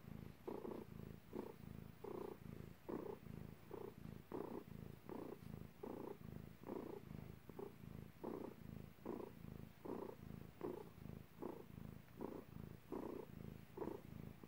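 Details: Cat purring while giving birth, indoors: a low, steady purr broken into rhythmic pulses, about 80 swells a minute in time with its breathing, and nothing else audible.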